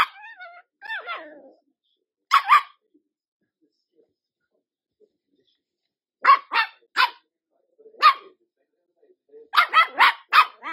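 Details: Dachshund giving a short whining, wavering call, then a pair of barks, followed after a long pause by irregular groups of three or four sharp barks.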